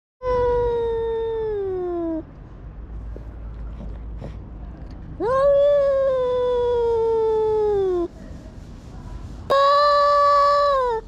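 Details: Domestic cat making a strange, unusual sound: three long drawn-out meows with strong harmonics, each sliding slowly downward in pitch and lasting about two to three seconds, separated by quiet gaps.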